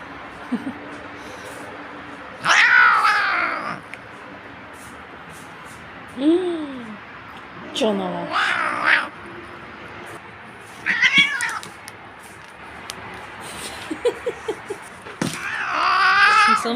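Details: Domestic cat being combed indoors, voicing about five drawn-out meows, some rising then falling and others sharper and wavering, spaced a few seconds apart, while a person talks to it, praises it as clean and offers food.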